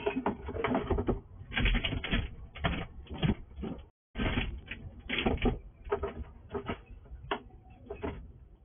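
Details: At night a wild squirrel that comes to a house eats all the food quickly. Rapid, dense crunching and chewing crackles run almost continuously, broken by one brief silence midway, then resume in loud irregular bursts.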